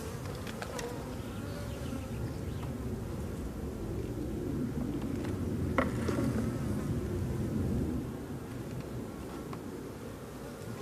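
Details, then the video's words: Honey bees, not very aggressive, buzzing over an open drone-laying hive during inspection of a brood frame topped with a crown of honey; an even, low droning mass hum with a few knocks and taps. "Ruche bourdonneuse"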